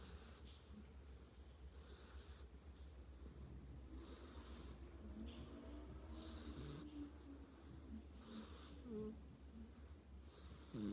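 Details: Tank, a dog, snores in sleep with rhythmic airy rasps every couple of seconds, some ending in a faint whiny squeak, and a low hum underneath.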